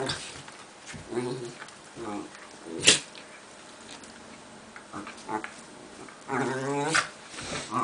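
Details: Two Italian greyhounds at play, with scattered short growly vocalisations, a sharp knock at about three seconds and a longer rising-and-falling growl-whine near the end, amid rustling movement.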